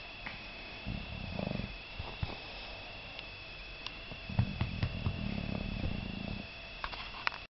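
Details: Sleeping English Bulldog snoring: low, rumbling, pulsed snores in two stretches, a short one early and a longer one near the end, over a steady electrical hum with a few faint clicks.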